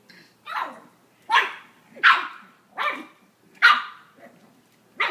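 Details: Black pug puppy, ten weeks old, meeting its reflection in a mirror for the first time: six sharp, yappy barks spaced irregularly about a second apart, with a woman laughing and cooing just after.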